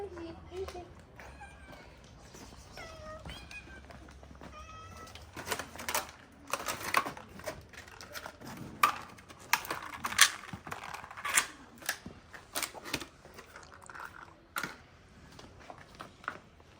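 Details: Calico stray cat in Morocco, mother of four newborn kittens, gives several rising-then-falling meows early on, followed by clattering, tapping and rustling noises and quiet human voices.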